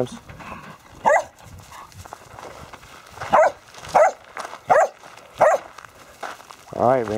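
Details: Border Collies playing soccer with a basketball: five sharp barks spaced about a second apart, then a rising whine, with a man's voice calling and encouraging the dogs between them.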